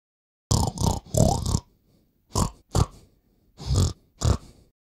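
Visayan warty pig giving deep, rough grunts: a run of three, then two pairs, each burst short and throaty with breathy edges.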